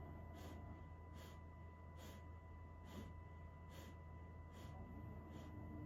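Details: Great Pyrenees named Selene, a very large dog, drowsy and dozing at midday: soft breathy snorting exhalations repeated steadily about every 0.8 seconds, seven in a row, over a constant low electrical hum.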